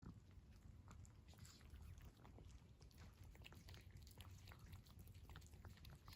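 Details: Stray cat in winter eating warm food, with quiet, irregular wet chewing and smacking clicks throughout over a steady low rumble of background noise.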